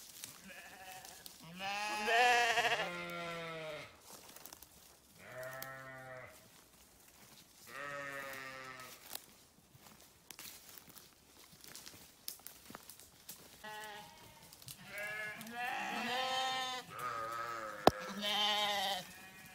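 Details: Grazing sheep on a farm give loud, wavering harmonic bleats about two seconds long, several in sequence with short pauses between, some overlapping from more than one animal.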